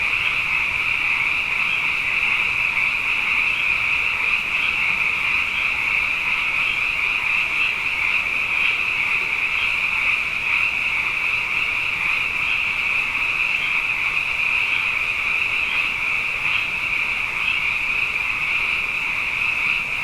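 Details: Night chorus of abundant frogs following two consecutive wet years, many voices merging into a continuous bright, buzzing trill with faint rhythmic pulses riding on top, holding a constant level for the whole stretch.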